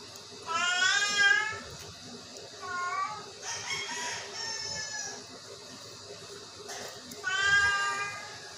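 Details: Sick Persian cat giving three drawn-out, harmonic meows spaced a few seconds apart, with quiet room noise between them.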